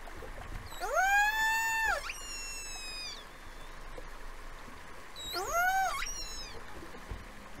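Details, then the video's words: Two killer whales' rich, harmonic calls sweeping upward, holding steady, then dropping sharply, recorded in False Bay, South Africa, on 26 January 2021, among the first known killer whale recordings from South Africa. "First acoustic recording of Killer Whales in South Africa!"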